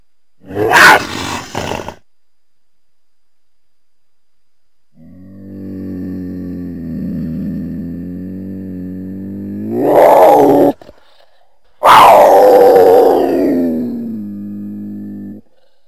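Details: Cougar, also called mountain lion or puma, giving a short harsh scream, then a long low harmonic growl that rises into a loud strained cry, a brief gap, and a final drawn-out scream fading back into low growling.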